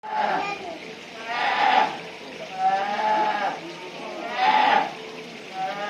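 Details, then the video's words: Brown bear cub calling at Noboribetsu Bear Park: a series of drawn-out, tonal wailing cries, each about a second long with a slight rise, repeated roughly every one and a half seconds. "ヒグマ 子熊の鳴き声"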